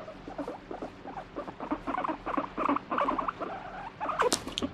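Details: Guinea pig reacting while being stroked, alternately wanting petting and pushing away: rapid pulsed chattering rumble in quick bursts, louder toward the end with a sharp squeak near the close, indoors.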